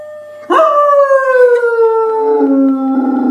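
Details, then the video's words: A single dog howls: after a quiet start it breaks into a loud, clear, drawn-out tone that glides steadily downward, then settles onto a lower steady pitch. "Dogs Howling"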